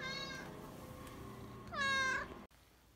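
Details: Pet cat giving two clear meows: a longer one fading out, then a louder arched meow after a short pause, in a quiet room.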